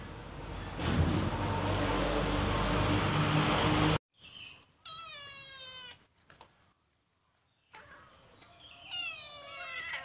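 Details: Cute calico cat stealing food in a cage: after a loud stretch of noise, two clear drawn-out meows with rich harmonics, the first near the middle and the second near the end, set apart by quiet gaps.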